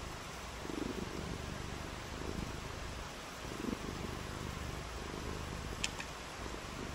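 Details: Cat on a rainy day giving a soft, low, even purr beneath steady hiss, broken by a couple of sharp clicks toward the end.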